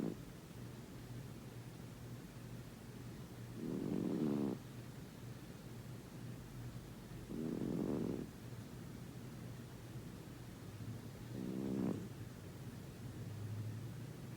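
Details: Pet cat snoring while asleep, an adult adopted nine years ago whose snoring can be loud enough to wake a person; three soft, low rasping snores about every four seconds over a steady low indoor hum.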